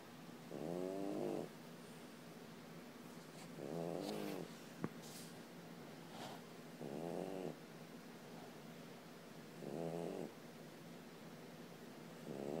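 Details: French Bulldog asleep and snoring, wanting to be left alone; steady rasping snores roughly every three seconds, each under a second, with a brief click and faint room noise between them.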